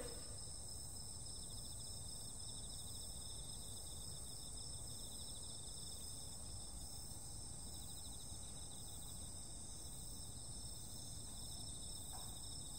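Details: Insects calling on a summer night: several steady high-pitched shrill bands ring on without a break, sitting over a heavy low rumble of background noise.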